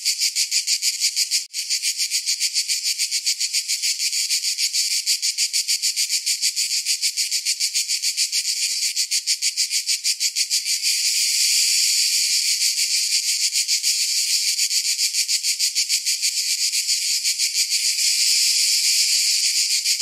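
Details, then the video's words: Summer cicadas in a dense, shrill chorus of high buzzing, pulsing steadily about three times a second with a brief dip near the start and a louder, fuller swell in the second half. "Summer Cicadas Sound"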